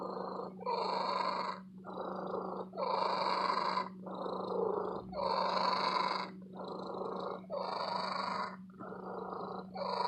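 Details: Female domestic cat kept in an antique store purring loudly and long, steady rumble rising and falling in breath cycles roughly every two seconds, each exhale a broad buzzy swell, with a constant low hum underneath.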